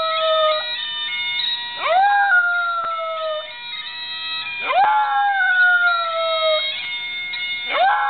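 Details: Buddy, a pet dog, howls to a grandmother's bagpipe ringtone; three rising-then-gliding howls, each swooping up and trailing down over a few seconds, set against continuous bagpipe drones and melody.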